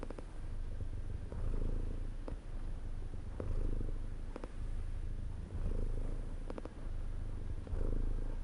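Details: Comforting cat purr: a constant deep rumble rising and falling with the breath about twice a second cycle, with occasional light ticks and clicks over it.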